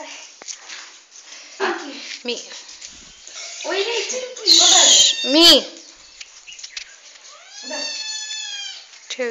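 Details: Young aggressive pet kitten indoors, attacking a dog; several short wavering meow-like cries with bright harmonics, one loud strained squeal near the middle, and a long rising-then-falling cry late on, amid people talking.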